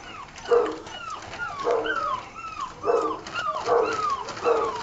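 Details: Weaned six-week-old Old Tyme Bulldog puppies; repeated falling whines and yelps, each sliding downward in pitch, coming about every second in a steady series.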